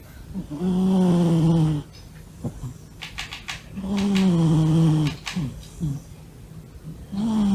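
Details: Deeply asleep, Monta the male Norwegian Forest Cat gives whistling, slightly falling snores, each nearly a second long, recurring every three seconds or so, with soft clicks and breath noises between them.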